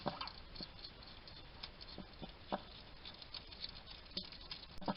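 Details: Male wild hedgehog feeding in a Somerset, UK garden, chattering while eating; scattered sharp clicks and wet chewing smacks come in loose, uneven runs, with brief louder bursts at the start and end against low background hiss.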